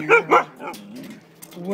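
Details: Siberian husky excited by food take-out containers gives two short, loud, harmonic bark-like yelps in quick succession, followed by a person speaking about the take-out container.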